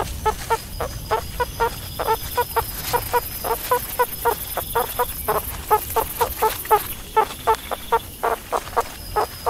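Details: Repeated short chirping calls from a meerkat, bunched into quick clusters with brief pauses between, against a soft hissing background.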